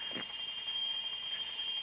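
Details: A cicada on a country road near Almolonga, Naolinco, Veracruz, on 10 April in the hot season gives a steady, shrill, high-pitched unbroken buzzing drone, with a brief soft rustle near the beginning.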